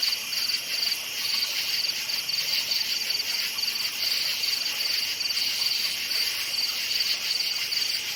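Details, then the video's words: Night forest crickets keep up a shrill, steady chorus, short bursts of fast pulsing chirps repeated every fraction of a second over a constant high insect drone. "NIGHT FOREST CRICKETS CHIRPING SOUND"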